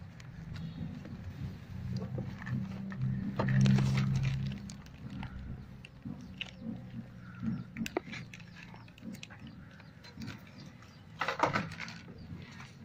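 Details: Asian honey bees (Apis cerana) kept in a house nest during a honey harvest two months after the previous one. A low, steady droning hum swells and fades, with handling clatter and scraping throughout.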